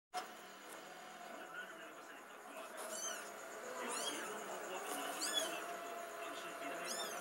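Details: Kittens meowing: a few high, arched mews around the middle and end, set against a steady background hiss with faint murmurs.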